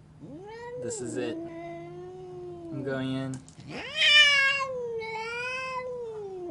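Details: Angry domestic cat yowling in long, wavering harmonic wails that rise, hold and sag, with a sharper, louder cry near the middle and a drawn-out falling moan to finish.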